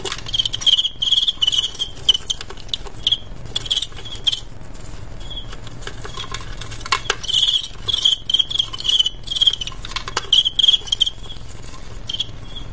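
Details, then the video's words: Fighting male crickets pitted against each other: bursts of bright tonal chirps come in clusters every second or two, with clicks and scuffling taps between them. "ADU JANGKRIK "cricket fight ""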